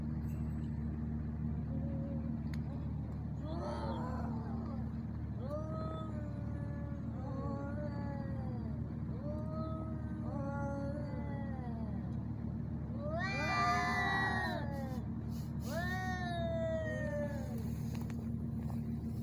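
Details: Two male cats, tagged as ginger, fighting in Al Rahmanya, Sharjah, UAE, filmed handheld on a neffos x20 phone: drawn-out wavering yowls rising and falling in pitch, growing louder and harsher near the end, over a constant low engine-like hum.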